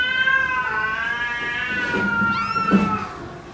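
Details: Kitten in a cute cat compilation gives a long, wavering meow with rich stacked harmonics, ending in a brief rising-then-falling cry; a faint steady tone hums underneath.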